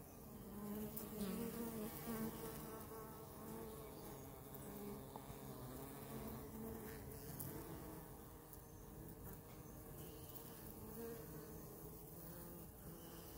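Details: Close-up honey bees give a continuous low hum that is strongest in the first two seconds, then stays level and even to the end. A few faint clicks are heard.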